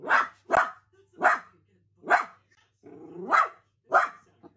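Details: Quick run of six loud, bright barks from playful Dachshund puppies, coming about every two thirds of a second, with a brief lower whine-like sound between the fourth and fifth.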